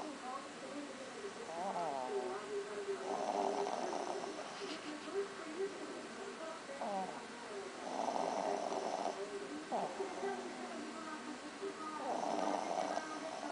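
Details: Belinha, a dog, snoring while asleep on a lap under a table; soft rasping snores in slow bursts about every four to five seconds, with faint voices and household sounds in the background.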